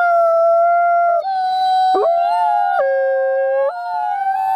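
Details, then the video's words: Chorus of howls from captive gray wolves including Alawa, a captive-born ambassador wolf at the Wolf Conservation Center, South Salem, NY; sustained tones held and shifting in steps, several voices layered together. "Gray Wolf Alawa Howls"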